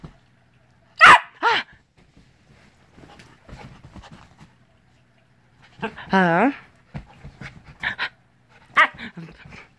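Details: Male Siberian Husky, mother a purebred husky and father a purebred Alaskan grey wolf, born April 2017, vocalizing indoors at 5:30am; two sharp yelping bursts, then a long wavering harmonic rising-and-falling 'roo' howl, followed by shorter yips, with faint room noise.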